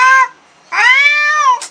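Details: Black cat angered on first meeting a new cat gives a short yowl, then a drawn-out, steady, nasal wail lasting almost a second and ending in a breathy hiss.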